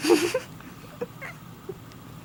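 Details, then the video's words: Pet cat Kiara, who meows whenever her owner coughs or sneezes but not when others do, gives one short, harmonic-rich meow lasting under half a second, then falls quiet; faint clicks and soft room noise follow indoors. "Cat Meowing After Coughs"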